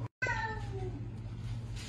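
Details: A rescued stray cat gives one falling meow with clear harmonics, sliding downward over about half a second, over a steady low hum in a small room.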